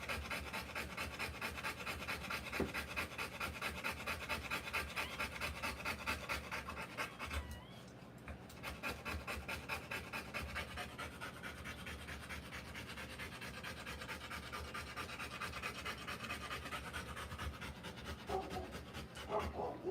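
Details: Panting Rottweiler mother during a live birth of puppies: rapid rasping breaths at just over two per second, pausing briefly near the middle before resuming, with faint voices and a short squeak toward the end.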